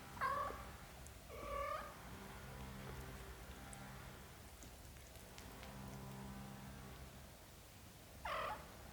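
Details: British Shorthair cats, black golden and blue golden kittens with their mother, indoors; two short, bright meows in quick succession at the start and a third near the end, separated by a quiet stretch with faint low tonal humming.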